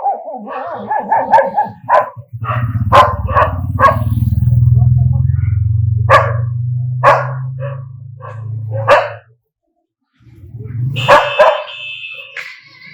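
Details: Angry dogs barking in a rapid burst of short, sharp barks with whining overtones, over a low rumbling engine-like drone that fades out, followed by a brief pause and more barks with a high tone.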